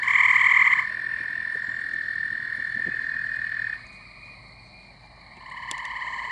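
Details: Nighttime chorus of Gray Treefrogs and American Toads around a house and pool near a pond in spring or summer. A loud trill gives way to a sustained steady trill, a quiet pause, then further trilling resumes.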